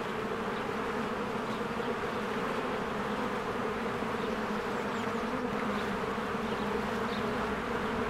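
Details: A spring beehive with bees working busily and streaming in and out of the entrance. A thick, continuous buzzing drone, even in loudness, rich in low tones, with a few faint, thin, higher flicks.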